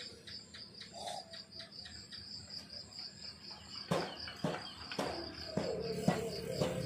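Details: High pulsed cricket chirping at dawn in the countryside, joined by a short bird call and several sharp clicks or knocks in the second half.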